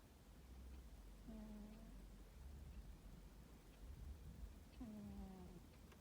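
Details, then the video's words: Male domestic cat asleep in a high-tower cosy bed on a summer afternoon, giving two drawn-out, low harmonic snores a few seconds apart over a steady low hum. "Blissful Tomcat has a snore"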